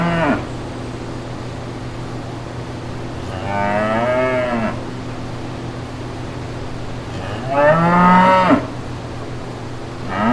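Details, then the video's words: Brown cows with calves walking through green pastures; two drawn-out, harmonic-rich moos about four seconds apart, with partial moos at the start and end over a steady low hum. "5 Minutes of Real Brown Cows Mooing"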